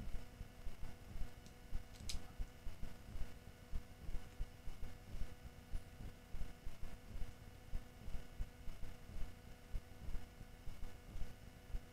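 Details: At night, a trail camera picks up only a steady low rumbling hum and a single faint click, with no animal voice heard.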